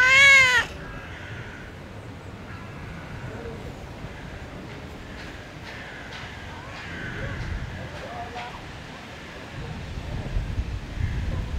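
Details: Cat living in a park calls up towards a balcony, begging for food: a single loud, rising-falling meow at the start, then faint street and outdoor background sounds.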